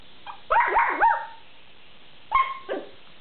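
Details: A long-haired rabbit dachshund puppy, the smaller of two dachshunds, lets out warbling, rising-and-falling whines, protesting that the other dog won't give her a treat.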